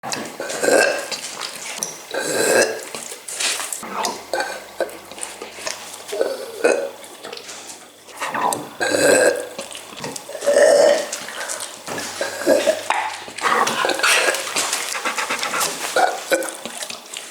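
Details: Zero, a Labrador Retriever, burps over and over in a compilation set to Vivaldi's Spring. Short, throaty, resonant burps come at uneven intervals, about one every two seconds, with human voices in between.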